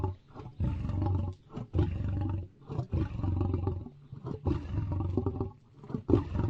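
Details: Lion producing continuous deep, rumbling roars and grunts, low and resonant throughout, rising and falling in loudness with brief dips between phrases.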